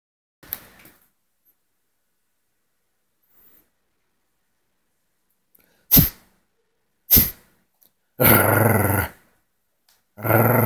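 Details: A Shih Tzu in Phoenix, Arizona, on 6/16/20 gives two short, sharp yaps, then drawn-out, rough, wavering howls close up indoors.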